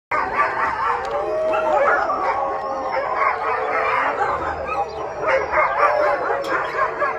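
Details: Several rescued Siberian Huskies, hungry and waiting for their evening dinner, calling together in an overlapping chorus of yips, barks and wavering howls, dense and continuous throughout.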